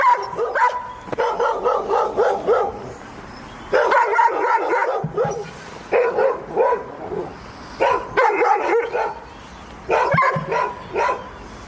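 A dog barks in quick bursts of sharp, mid-pitched yaps, pausing between each run.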